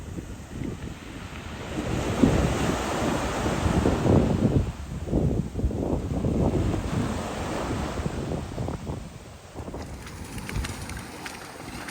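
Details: Ocean waves wash in and break steadily on a beach while wind buffets the microphone; no animal voice is heard.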